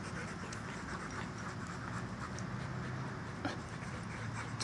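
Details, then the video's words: Tired Doberman puppies panting: a steady, soft, noisy breathing texture running through the whole clip, low and continuous, with faint brief clicks and a short louder sound near the end. "Panting puppies."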